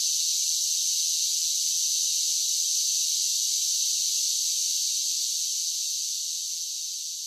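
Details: A summer cicada chorus gives a steady, sizzling, high-pitched drone that slowly fades a little toward the end. Nothing else can be heard.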